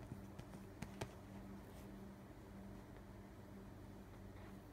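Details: A six-day-old Siamese kitten, eyes not yet open, purrs in a soft, steady, low, crackling rumble while being stroked just after feeding.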